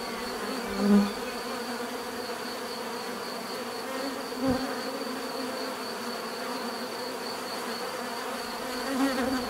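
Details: Bees humming in a steady drone, with a few short louder thumps or close passes breaking through the even buzz, and a faint high tone in the background.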